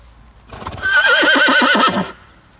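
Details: Slovenian cold-blooded horse, a critically endangered native breed from northeastern Slovenia and Gorenjska, giving one loud neigh of about a second and a half, a rapidly quavering whinny with rich harmonics and a bright steady upper tone, in quiet surroundings.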